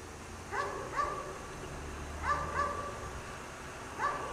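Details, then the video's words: Dog kept chained outside in the cold snow all day gives sharp, ringing barks, singly and in pairs spaced a second or more apart, with quiet background. "Dog Barks all day in the snow"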